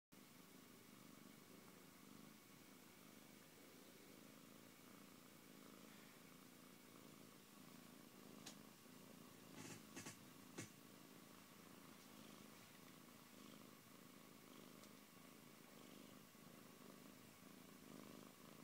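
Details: Siberian cat named Antey purring indoors, a steady low rumble with faint breath cycles, interrupted by a few sharp clicks or knocks around the middle.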